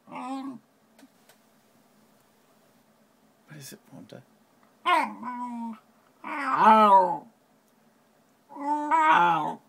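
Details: Ponta, a Shiba Inu freaking out at a Shiba-shaped notepad in a small room, lets out several wavering, whiny yowls of varying length, interleaved with a few quiet clicks and brief human speech.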